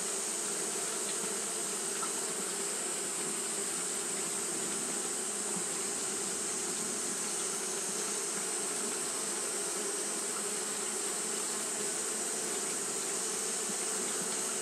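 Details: Steady whirring drone of fanning Japanese honey bees in hot weather, a thick constant buzz with a breathy high hiss above it, unchanging across the whole stretch.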